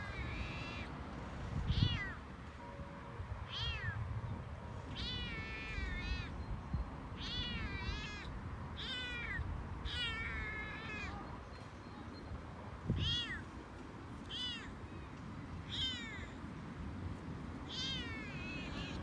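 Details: Excited male Toyger cat chattering during an outdoor walk, talking more than usual: many quick arched meows in clustered bursts, some in pairs, with bumps and handling knocks and a steady low background hum.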